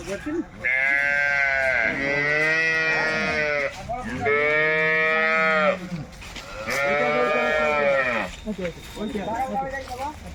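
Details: Jersey cows at a wholesale market, lowing three times in a row. Each moo is long, loud and richly harmonic, about two seconds long with short pauses between. Market background noise is heard underneath.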